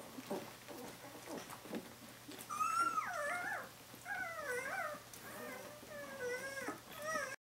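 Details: Seventeen-day-old puppies from Brenda's litter calling for their mother, Brenda: high, thin whining squeals that bend up and down, given in several close bursts after a few seconds of soft rustling and clicks indoors.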